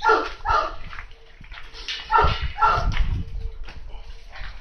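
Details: Tosa Inu at a kennel in Japan giving deep, harsh barks in two quick pairs, the second pair about two seconds after the first, over a low steady hum and quiet background noise.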